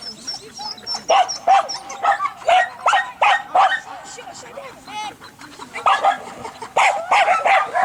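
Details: Berda, a 2.5-year-old Croatian Sheepdog, tested for innate traits: bursts of quick repeated barks broken by a short pause, then a renewed barking flurry, with human speech mixed in.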